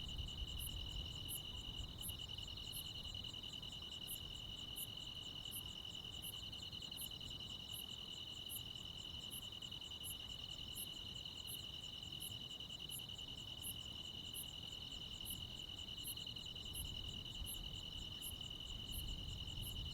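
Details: Summer-night insect chorus from the countryside, led by crickets: an unbroken, shrill, buzzing trill carries all the way through, with a second insect adding evenly spaced, piercing high ticks almost every second. A low rumble sits underneath.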